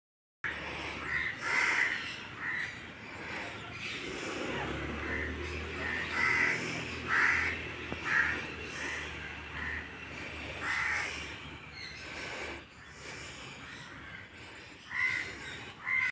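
A Rottweiler puppy gives harsh, high-pitched barks in uneven bursts about once a second.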